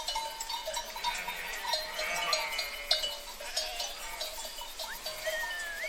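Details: Herd of sheep calling together: many overlapping, thin, wavering bleats blend into a continuous chorus, with a steady metallic ringing and clinks beneath and a rising bleat near the end.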